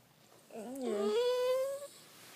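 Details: A pet cat named Trixie, indoors, gives one drawn-out meow that bends down and then rises slowly, with clear stacked overtones, lasting about a second and a half in a quiet room.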